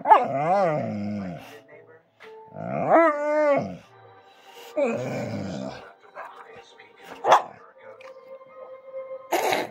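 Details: Whining Bullmastiff that vocalises when it wants to eat: short wavering moans and a rising yelp-like whine, then quieter sounds with a steady background hum and a couple of sharp clicks.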